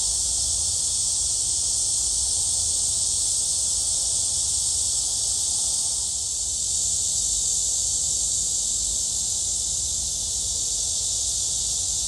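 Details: Cicadas singing at Gwangalli Beach, with dragonflies about: a dense, steady, high buzzing drone that holds unbroken throughout, with a faint low rumble beneath.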